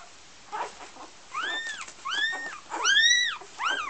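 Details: Golden Retriever puppies from a litter in Iceland: high, thin whines that arch up and fall back, repeated about once a second and growing louder, over a faint background hiss.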